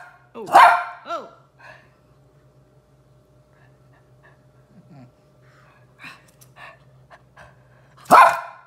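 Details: Pet Shih Tzu, one of a pair of dogs reacting indoors to a new orthopedic bed, gives a sharp loud bark with a short follow-up yip. A long quiet stretch with faint rustling follows before a second loud bark at the end.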